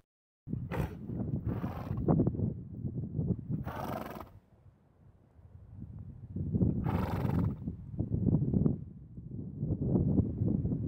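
A horse blows, pushing hard, breathy bursts of air out through its nostrils over a low rumble.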